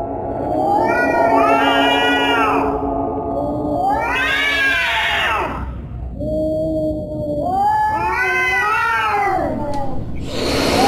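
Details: Scary cat yowling in long, wavering wails, each arched cry swelling and sliding down, four drawn-out moans separated by brief pauses, with a constant low hiss behind.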